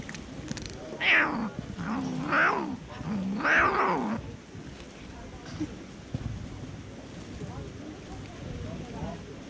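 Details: Fluffy female tortoiseshell cat, a little jealous, making funny, weird noises while eating: three wavering, harmonic growl-like cries, each rising and falling, within the first four seconds, then quieter stretches with faint clicks and rustles.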